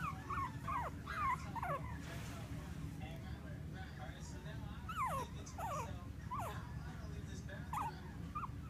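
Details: Female Bichon Frise puppy from Clearwater, Florida, whining in short falling whimpers, in small clusters every second or so, against a constant low hum.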